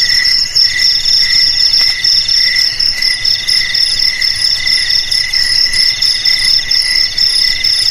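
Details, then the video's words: Cricket song offered as a sound to drive rats away from homes, garages, storerooms and rice fields: shrill, pulsed high-pitched chirping in a dense, continuous stream of short bursts, several crickets layered, no other sounds. "Suara JANGKRIK Pengusir TIKUS"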